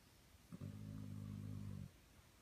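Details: A dog snores once, a steady low rumbling breath lasting over a second with rich buzzy low tones, starting abruptly and fading out, against soft room hiss.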